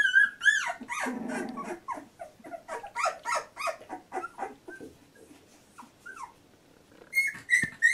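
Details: Labrador Retriever puppy, 14 days old, from a litter: a busy mix of short whimpers, squeaks and high whistling cries from what sounds like several puppies, with bursts of overlapping yelps, a quieter middle stretch and thin squeals near the end.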